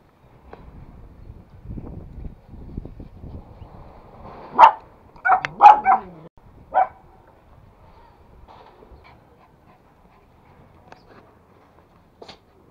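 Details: Male toy Pomeranian courting a female Pomeranian, two pet dogs together: four short, sharp yipping barks in quick succession around the middle, with soft low rustling and handling noise before and near-silence after.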